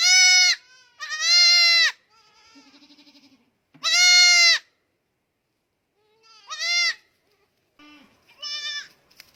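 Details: Goat calling repeatedly, about five loud nasal bleats of varying length, some short and clipped, others drawn out, with quiet low fluttering sounds in the gaps.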